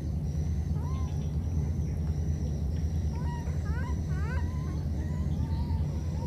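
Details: Two wild baby monkeys, separated by a flood, call to each other: short squeaky rising cries with bright overtones, a quick cluster in the middle, then softer single calls, all over a constant heavy low rumbling noise.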